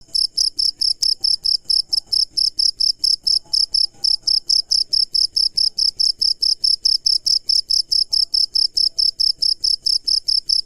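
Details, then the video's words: A cricket calling at night, loud and close: sharp high-pitched chirps repeated evenly about twice per second, each a short shrill pulse, with a quiet dark background and a faint low hum. "Cricket Insect Sound"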